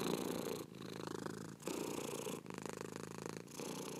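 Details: Steady cat purr with a buzzing rumble that pauses briefly about once a second as the cat switches between breathing in and out.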